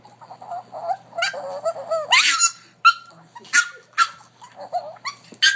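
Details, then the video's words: A dog gives odd, irregular vocalisations: nasal whines and squeals that rise and bend, alternating with rough, breathy bursts and short gaps of quiet. "Funny sound from dog"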